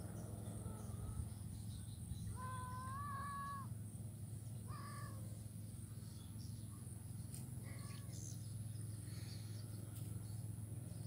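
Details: Blind kitten in grass at Jalan Kolonel Sugiono, Kuala Kapuas, Central Kalimantan, 27 November 2019; one long, level, nasal meow lasting over a second, then a shorter falling mew and faint later cries, with steady low background hum.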